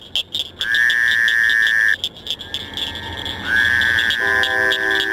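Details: A Fowler's toad (Anaxyrus fowleri) calls in late April into May, its call being the main difference from the similar-looking American toad; nasal, buzzy bleats over a steady high chorus of other frogs, with spring peepers and chorus frogs no longer heard.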